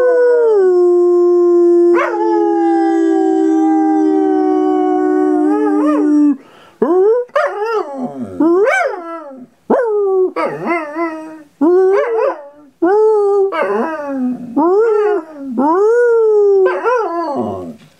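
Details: A Groenendael (Belgian Sheepdog) howls back after its owner's howl, starting with one long steady note, then a run of rising and falling wails.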